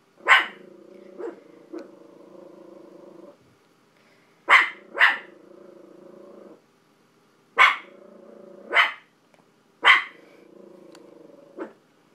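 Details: Barking at TV dogs, pet dog Billie Holiday gives sparse, abrupt barks, mostly in pairs spaced a few seconds apart, with a low rumbling growl-like drone filling the gaps.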